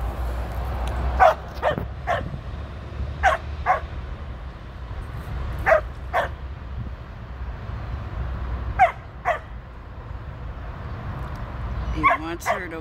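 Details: Border Collie Tir, a 13-year-old female, out with sheep for her first run on 2/23/23. Barks come in doubled bursts every couple of seconds over steady wind noise, with a faint engine-like hum underneath.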